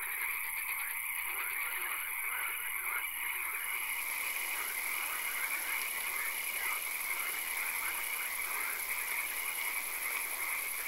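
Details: A dense night chorus of frogs in a swamp gives steady, high trilling calls layered over a constant insect-like hiss.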